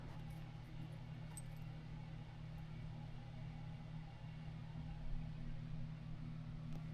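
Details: Low steady mechanical hum indoors with a few faint clicks and a soft knock, and no animal calls.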